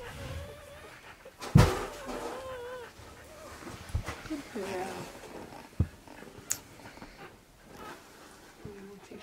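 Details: Newborn Cocker Spaniel puppies from Neela's first litter of five, sired by Phin, at around 12:30 at night as the fifth pup arrives. Thin, wavering squeaky whines rise and fall amid a sharp thump and a woman talking nearby.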